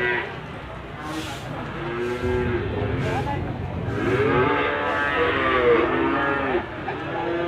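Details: Young Limousin cattle for sale at Gondanglegi animal market, East Java, 12 February 2020: several moos rise and fall over each other, with scattered bangs and clatter from handling and a low crowd din.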